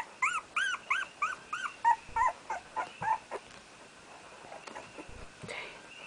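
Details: Red, the first-born puppy of Aina's first litter, whimpering as he tires while learning to walk; a run of arched, whiny yelps several per second that fade into softer, breathy cries, with faint background hum.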